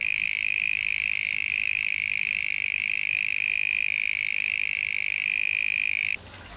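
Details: A male mole cricket's love song on a warm summer night in the Pilanesberg, a steady, pure whirring trill, unbroken and droning on as if from underground, hard to pinpoint; among the loudest, purest insect sounds.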